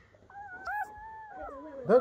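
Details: Newborn German Shepherd puppy, born to Betty during a night-time litter of ten, gives a clear, drawn-out whimper that slowly falls in pitch over two seconds, ending in a brief louder squeak, in a quiet indoor room.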